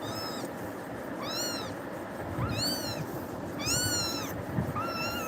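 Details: Frightened kitten crying after being scared by Tiger and clinging to a person; five high, arched, strongly harmonic meows, each rising then falling, repeated about once a second over a steady low background hiss.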